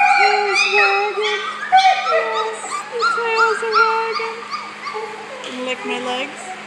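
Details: Four-week-old male puppies, several together, making high whimpering and squealing calls, overlapping tonal whines rising and falling rapidly, with a person speaking over them.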